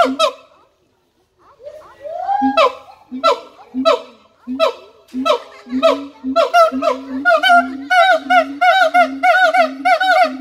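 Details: Siamang starting with a few spaced sharp barks and one drawn-out rising whoop, then building into faster, denser, ringing hoots repeated over a second or so each.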